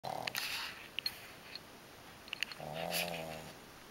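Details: Two pugs asleep pressed against each other, one snoring while they rest relaxed: a brief buzzy snore at the start, a pause with small clicks, then a longer rasping, droning snore.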